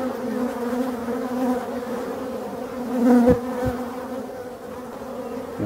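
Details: Masses of male drones of the European dark honey bee pour out of forest hives, filling the air with a steady, low, droning wing buzz.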